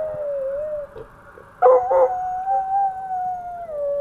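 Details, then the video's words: Coonhound named Andy-Tucker howling at passing fire trucks: long wavering drawn-out howls, steady then breaking into a couple of louder pulsing yodels before settling into a smooth, slowly falling tone. "Coonhound Andy-Tucker howling at the fire trucks"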